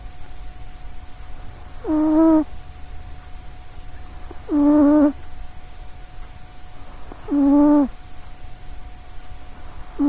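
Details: Loud snoring from a sleeping female pet cat called Sausagecat, known for her little legs and in good health; buzzy, slightly falling snores recur about every three seconds, with three full snores and the start of a fourth.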